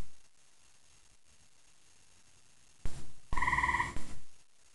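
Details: Gray tree frog heard after dark in Central Indiana, a loud night caller. After a quiet stretch, one brief rapid pulsed trill sounds, framed by dull low thuds.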